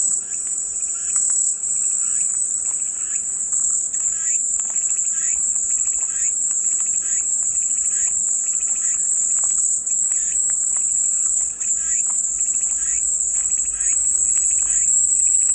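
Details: Long stretch of constant, piercing cicada buzzing, accompanied by clusters of quick chirping notes repeated at intervals across the whole recording.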